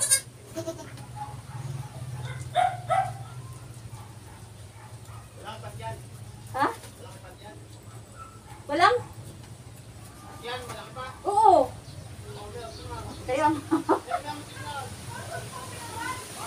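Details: Goat during the birth of kids on a farm, giving scattered quavering bleats that bend up and down, roughly every two to three seconds, amid human speech and a constant low electrical hum.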